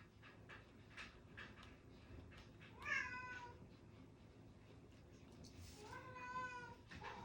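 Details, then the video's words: Pet cat crying indoors, disturbing a quiet study session on 16 July 2025; two drawn-out, harmonic meows about three seconds apart, the second longer and falling, with pen taps and small clicks in between. "고양이가 울어 조용하지 않아요"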